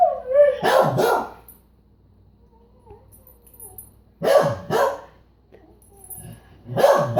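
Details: Beagle with a brief howling note quickly giving way to double barks, deep and hoarse, repeated in pairs after quiet gaps of a few seconds.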